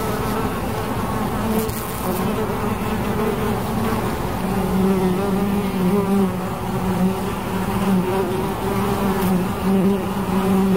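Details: Dense buzzing of bees, low droning tones with a clearer steady note emerging in the second half, pulsing gently as insects pass near.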